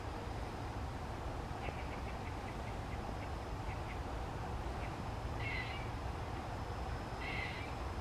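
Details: Squirrel called John gives a string of faint, rapid clicks, followed by two short rasping, buzzy calls near the end, against persistent low-pitched background rumble.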